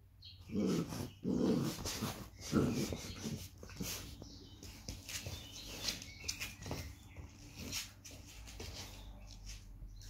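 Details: Irish Terrier puppy playing wildly during its regular early-morning routine between 6 and 8 o'clock; a few short low growls in the first three seconds, then softer whimpers and thumps with scattered bumping noises.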